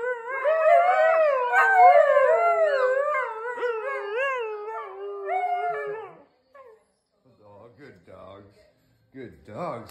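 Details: Siberian Husky mother and father leading their 6-week-old pups in a group howl: about six seconds of overlapping wavering howls, then they trail off and are followed by quieter speech.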